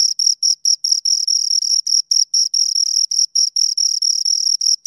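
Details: A pair of crickets chirps right beside the recorder, giving bright, shrill pulses in quick succession, sometimes blurring into brief continuous trills, over a silent background.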